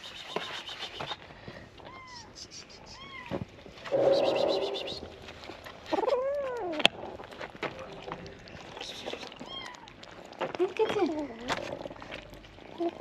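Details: Hungry abandoned street kittens awaiting their morning feeding call; a series of high, arched meows, one drawn-out and loud near the middle, with a person talking to them between cries.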